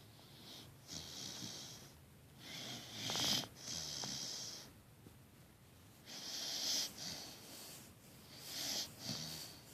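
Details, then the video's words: Great Dane mix puppy deep asleep and sawing logs indoors, snoring in long raspy breaths with a whistling edge, five drawn-out snores across ten seconds separated by quiet pauses. "Snoring puppy"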